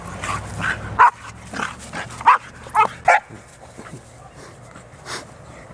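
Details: Barks from a dog park where Bearne, an 11-month-old Bernese Mountain Dog, plays with companion dogs: five or six loud, short woofs, spaced irregularly over a few seconds, with a low hum beneath and a fainter bark at the end.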